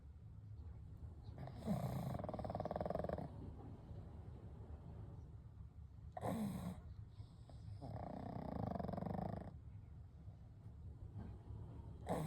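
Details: Three pugs, Kou, Gen and Shun, asleep together; quiet, slow breathing with soft rasping snores, each breath lasting one to two seconds and separated by brief sharp sniffs.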